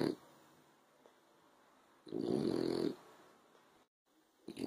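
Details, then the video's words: Male French Bulldog asleep on the sofa in the afternoon sun, snoring. Quiet, rasping, breathy snores arrive about every two seconds, with near silence between them. "Frenchie Snoring"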